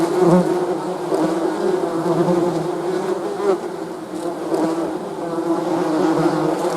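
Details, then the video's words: Bee buzz as an unbroken, even, low-pitched hum with layered tones. The loudness wavers slightly. "Bee's Buzzing"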